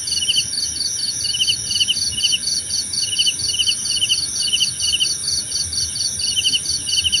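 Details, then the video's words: Night-style cricket chorus for relaxation and meditation: dense shrill pulsing trill with a rhythmic chirp recurring every half second or so, steady and unbroken, backed by a thin continuous high whine. "Suara Jangkrik Membahana!"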